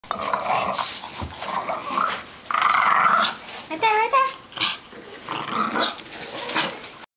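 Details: Three French bulldogs, two adults against one little puppy, playing tug-of-war indoors; rough noisy growls in bursts with short gaps, a few brief higher whiny tones near the middle, and some human speech.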